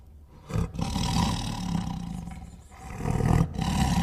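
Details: Tiger growling roar, starting quietly and then swelling into a deep, rasping rumble that runs almost unbroken for over three seconds.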